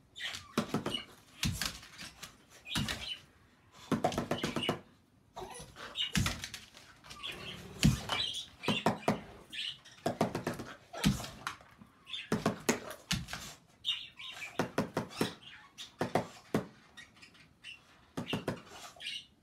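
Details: Isaac, a pet dog that is three-quarters French Bulldog and one-quarter Beagle, vocalizes indoors in protest at improvised drumming on a hot chocolate container with a spoon. Sharp percussive taps alternate with short, tonal, whining calls in a small room.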